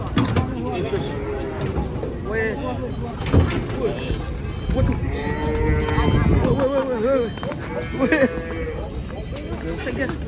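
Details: Cattle coming down from a truck produce several wavering, harmonic moos over about ten seconds, mixed with people talking, shouting and vehicle rumble.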